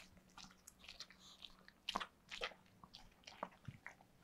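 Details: Pet dog Yulman eating cake indoors, close-miked: rapid wet smacks and crunchy bites in bursts, with louder chomps near the middle and sticky licking clicks over a faint steady hum.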